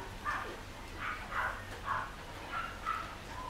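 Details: Pure white Shih Tzu puppies, 13 days old, give soft, high whimpering squeaks in a loose series of short mews, 25 March 2020.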